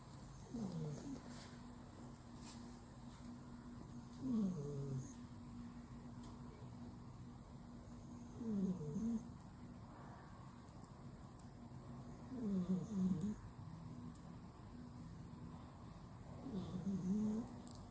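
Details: A flat-nosed cat sleeping deeply and snoring loudly; low, wavering rumbling snores come about every four seconds, each a short drawn-out wheeze, over a constant background hum.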